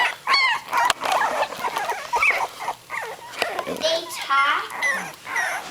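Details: Three-week-old puppies, eyes newly open, moved off their mother onto a cold blanket and protesting: overlapping high, wavering whines and squeaks from several pups with a quiet voice in between.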